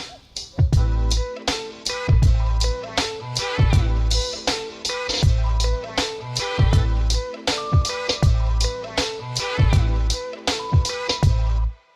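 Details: Music with a steady drum beat, heavy bass and guitar; no animal sounds are heard.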